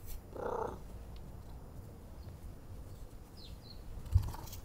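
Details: Cat purring and meowing for petting and attention: one short, harmonic meow near the start, then a steady low rumbling purr under faint room noise.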